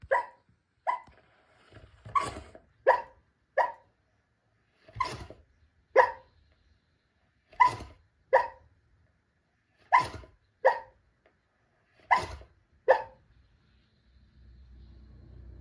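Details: Santee, a pet dog, talking in his sleep: short muffled woofs and yips, each a brief harmonic burst, come in irregular pairs and singles about every second or two across the recording, with near silence between them.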